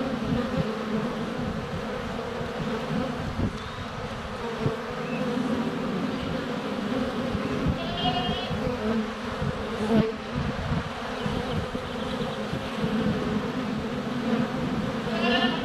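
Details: Many honey bees in flight at the hive entrance, sunny February day, GoPro Hero 7 Black under a foot from the hive: unbroken low droning hum, with two short bleats from goats in the background.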